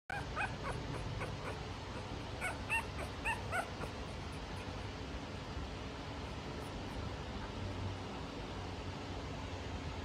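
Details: Two-week-old French Bulldog puppy beginning to vocalise: short squeaky whimpers and yips in the first four seconds, then mostly quiet with background hum and rustling.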